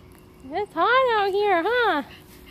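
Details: Bo Duke, a pug puppy newly welcomed into a family home, gives a short yip followed by a drawn-out, wavering whine that rises and falls for over a second before tapering off.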